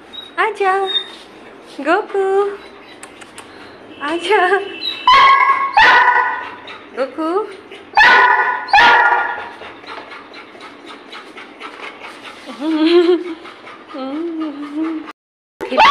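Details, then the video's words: Labrador Retriever at play, scattered short broadband barks around the middle and near the end, with rising and falling whiny tones between them; people talking through much of it. "Labrador🐶 की नटखट Mastii 😁"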